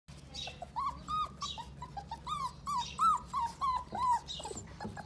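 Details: Pitbull and Jack Russell cross puppies: a quick run of high, thin yelping whimpers, each a short arched squeal, coming several times a second with uneven spacing over a low background hum.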